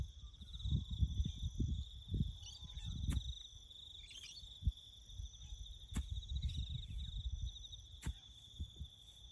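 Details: Crickets trilling steadily in the bush while farm work goes on nearby; the high pulsed drone is broken by several loud sharp clicks, with low rumbling thuds underneath.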